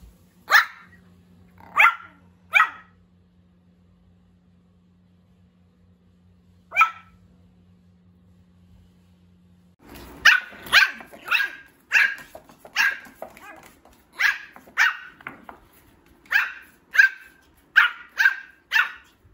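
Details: Pomeranian puppy that has just begun barking, letting out little cute yaps: a few widely spaced high barks, then a denser burst of rapid repeated yapping over a noisier background in the second half.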